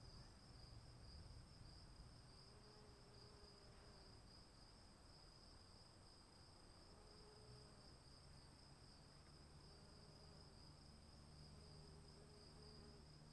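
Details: Crickets calling in the rain: a steady, high, shimmering trill runs unbroken throughout, with a fainter, even higher hum above it, over a low rumble of rainfall and occasional soft mid-pitched tones.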